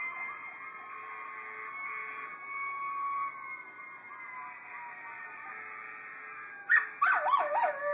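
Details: A Miniature Schnauzer howls with long, wavering, siren-like tones in answer to a howling Schnauzer in a YouTube video.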